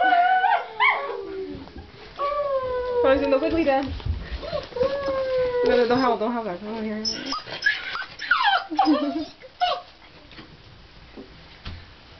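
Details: A Miniature Pinscher gives high, sliding whines and yowls in an excited greeting, wiggling its rear as a family member comes home for the weekend.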